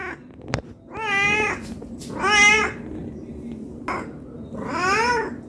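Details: A hungry cat asks for food with three arched meows spaced over five seconds, the last one longer and sliding, interrupted by sharp clicks and clatter like handled objects.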